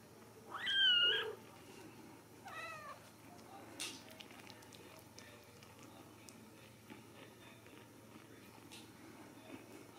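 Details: Ragdoll kittens raised in a home cattery in central Kansas: one loud, sharp, high meow near the start, followed by a fainter wavering mew and small soft sounds in a quiet room.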